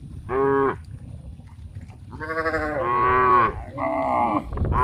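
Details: Tame cows walking toward a green grass field to eat; a short moo, then a long rising bellow and a second drawn-out moo, over the low shuffle and rumble of the herd.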